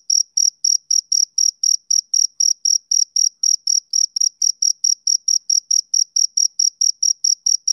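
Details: Male cricket chirping on a summer evening: a steady train of short, high, pure pulses, about four to five per second, with a faint higher overtone. No other sounds.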